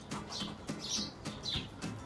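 A squirrel gives a string of harsh, scratchy chirps with squeaky high notes, repeating roughly every half second.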